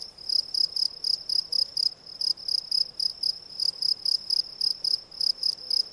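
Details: Close, loud chirping of a field cricket (Gryllus campestris): bright high-pitched pulses repeated regularly about four times per second, grouped in short bursts, over a quiet background.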